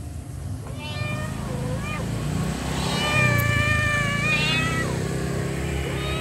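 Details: Mother cat calling her kittens with soft meows, a few drawn-out harmonic-rich calls rising and falling over a low rumbling background hum.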